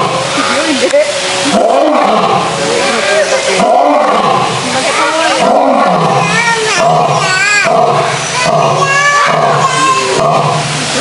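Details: Male lions roaring in a zoo: deep, drawn-out moaning roars swelling and falling roughly every two seconds, heavily overlaid by steady chatter of visiting crowds.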